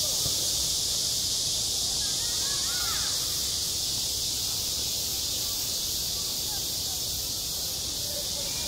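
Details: Midsummer cicada song at a school playground, a loud, continuous shrill drone that never pauses, over low background rumble, with a brief faint chirp around 3 seconds.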